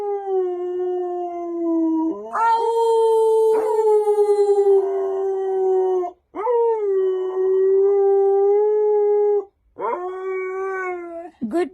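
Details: A male Siberian husky "talks" on cue, after a "1, 2, 3" prompt, giving a run of long, wavering howls, each opening with a quick upward swoop.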